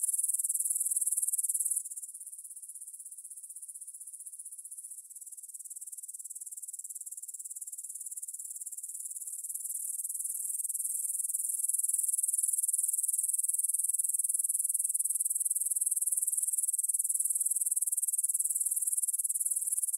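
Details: Grasshoppers stridulating in a meadow near the Svensky monastery in Bryansk, Russia, at 9pm on 6 September 2020, taken on a Tascam DR-44WL in stereo. A steady, very high, hissing chirr that dips in loudness briefly, then swells and holds strong.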